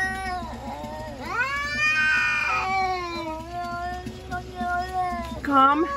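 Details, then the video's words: Cats in a fight yelling at each other; sustained, moaning caterwaul that swells into a loud strained howl, wavers and holds, then ends with a sharp rising squeal, low hum in the background. "Cats yelling at eachother (cat fight)"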